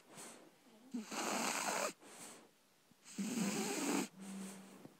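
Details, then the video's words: Libby the Shar Pei puppy, aged three months, snoring asleep: long grating, rattly breaths about once every two seconds, some ending in a short whistly, whimper-like note. "Shar Pei Puppy Snoring"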